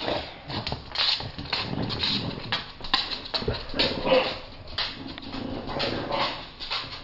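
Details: English Bulldogs grumble and whimper in rough, breathy bursts as two adults refuse to share a stuffed toy with an 8-week-old puppy, with a person talking over it.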